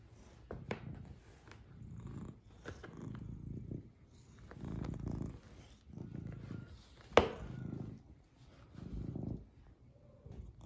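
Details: Black cat purring indoors, a low rumbling purr swelling and fading in steady breathing cycles about every one and a half seconds, with one sharp click partway through.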